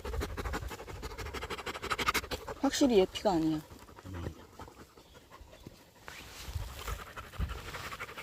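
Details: Husky on a mountain walk in South Korea, tracking a pregnant deer through the woods, with a Labrador retriever nearby: fast rhythmic panting, about three breaths a second, with a short burst of human speech in the middle.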